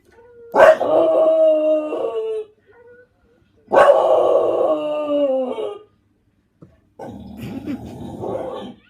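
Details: Domestic English Bulldog joining in with recorded dogs howling: two long, wavering howls, each about two seconds, separated by a short pause, followed by a lower, rougher, noisier vocal stretch.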